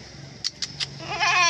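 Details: Young Etawa goats in their pen while being fed banana and milk; three sharp clicks, then a loud, rich, wavering bleat fills the last half-second, with a faint low hum underneath.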